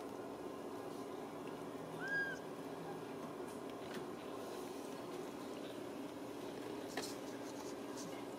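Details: Single clear, arched, high mew from a Ragdoll kitten raised in the home at a central Kansas cattery, lasting under half a second, then quiet room hum with a faint click.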